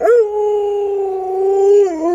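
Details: Pet Alaskan Malamute Luoluo howls beside its owner, who is sick and unable to get out of bed; one long, steady, level tone held for about two seconds, dipping slightly at the end.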